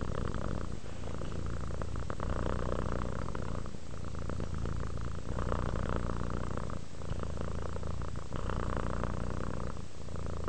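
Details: Close, loud purring from a relaxed house cat, a dense low rumble in repeated breath cycles of about one and a half seconds with brief dips between, plus soft breathy hiss.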